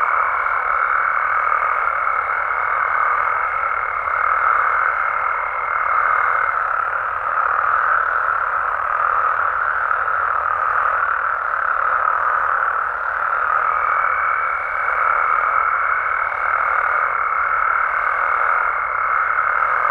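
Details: Frogs and toads of Mexico calling through the night in a massed, unbroken chorus of rasping croaks; a high thin steady tone sounds at the start, drops out, then returns in the final seconds.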